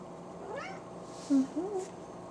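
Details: Talkative female house cat indoors with a quick arched meow followed by a short, lower chirping trill, over a faint room hum.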